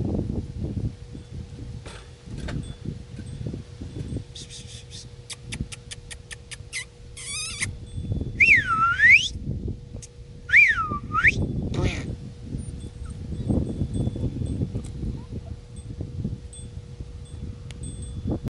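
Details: Pembroke Welsh Corgi. Pembroke Welsh Corgi puppies make a few high, squealing whines, each dipping down in pitch and sweeping back up. A run of sharp ticks and clatters comes first, with low wind rumble and a faint steady hum throughout.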